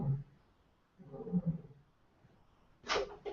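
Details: A captive lioness roaring right outside a window gives deep, muffled roars, two low rumbling bursts about a second apart.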